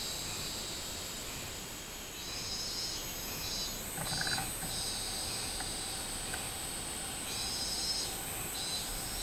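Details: Robust cicada recorded 24 July 2016, its throbbing high pulses coming in spells around three to five and seven to nine seconds. A steady background insect drone continues, with a short lower knock near four seconds.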